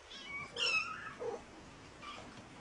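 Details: Mother cat uttering one bright, wavering meow that slides down in pitch, followed by a softer, shorter mew against quiet indoor background.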